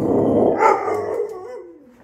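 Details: Domestic Pit Bull vocalizing for carrots near the fridge: a rough, broad grumble that breaks into a drawn-out harmonic whine sliding downward and trailing off, with the owner chatting around it.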